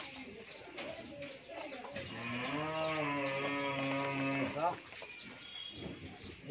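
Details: A 14-month-old pure Holstein Friesian heifer on a dairy farm in Pabna, Bangladesh, lets out a single drawn-out, tonal moo of about two and a half seconds, with faint voices in the background.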